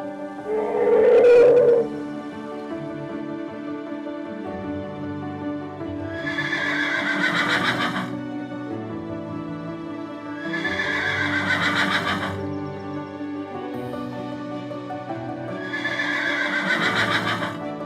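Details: Horse whinnying three times, each a loud, shaky, harmonic-rich neigh of about two seconds, spaced roughly four seconds apart, over a continuous background of soft music with a brief tonal note near the start.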